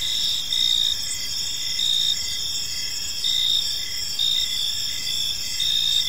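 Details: Crickets chirping in a peaceful park as evening unfolds; steady high-pitched trills overlap, pulsing in short bursts roughly every half second to second, with a faint low background hum.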